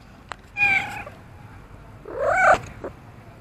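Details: Orange-and-white cat found outside in front of a row of shops, meowing while waiting for someone to feed him: two clear harmonic meows, a short level one followed by a louder, longer one that rises then falls, against a quiet background.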